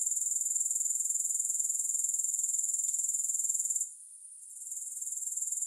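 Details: Shrill, unbroken grasshopper trill of quick regular pulses at a high pitch, music-free, dropping away for about a second just before the four-second mark and then building back to its steady buzzing rhythm.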